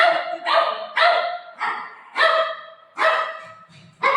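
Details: Golden Retriever greeting its mom on a surprise visit: a run of loud, high, excited whining yelps with strong harmonics, each rising sharply then trailing off, about six in four seconds.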